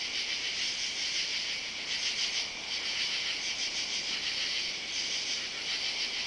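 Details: Katydids under oak trees in a yard on a Saturday night, July 31, fill the night with a dense, high-pitched rasping chorus that pulses gently in waves.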